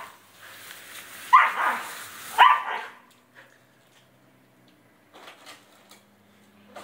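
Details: Family dog yelping at the sound of splashing water, two loud strained yelps close together followed by quiet splashes and a faint low hum.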